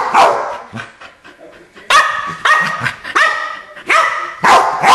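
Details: Keeshond barking, from a pair of dogs named Charlie and Fiffi: loud, harmonically rich barks in short bursts, four main volleys across five seconds with quieter yips between them.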